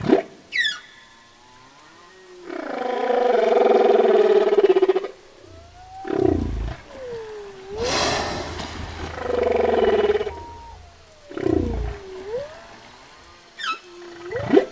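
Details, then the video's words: Humpback whale song with long roaring harmonic blares, a sharp broadband burst, sliding tonal swoops dipping and rising, and brief high upsweeps at the start and end. "Sound of whale (Song of the humpback whale)"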